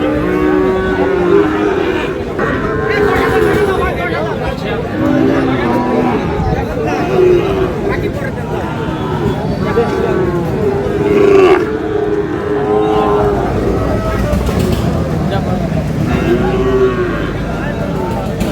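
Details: Cattle market on 19 August where a Barisal farmer buys Sahiwal bulls and heifer calves; several deep tonal moos rise and fall amid loud human chatter, price haggling and general crowd noise.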